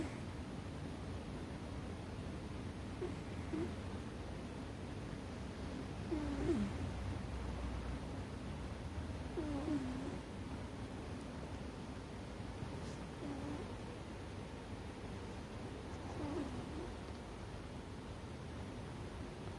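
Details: American Shorthair cat Ame-chan in deep sleep on top of a chest of drawers, snoring loudly: faint, low, droning tones recur roughly every three seconds over a quiet room hiss.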